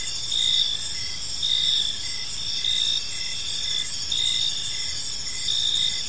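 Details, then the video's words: Evening park chorus of crickets, a continuous shrill ringing with rhythmic bursts of chirps roughly every second, plus a faint low rumble underneath. "Cricket Sounds in a Peaceful Park"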